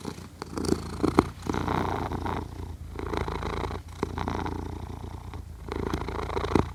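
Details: Cat asleep, purring and snoring, captured with a Zoom H6 recorder: a steady deep rumble pulsing in breath-long waves about every second or so, with brief soft pauses between inhales.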